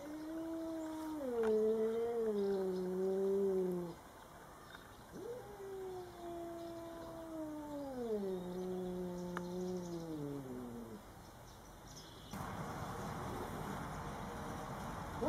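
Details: Domestic cats Coco and Rocky meeting a Bengal neighbour cat for the first time: long drawn-out wailing yowls with sliding, wavering pitch, two extended howls falling toward the end, then background noise.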